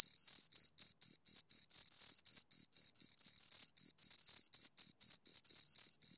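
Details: Two crickets chirping close up, a clean high-pitched pulsed trill with a strong band and a fainter higher overtone, bursts repeating about four times a second with short irregular gaps, no other sounds.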